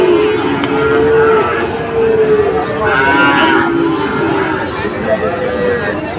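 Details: Sahiwal bulls at a cattle market in Dhaka, Bangladesh, on 16 September 2024; several overlapping, drawn-out moos over constant crowd murmur, with one higher, brighter bellow near the middle.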